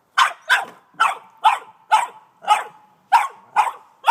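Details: Frankie, an 18-month-old male Boston Terrier, barks excitedly at a snow shovel he dislikes: a steady run of short, punchy, sharp mid-pitched barks, about two per second, with no other clear sounds.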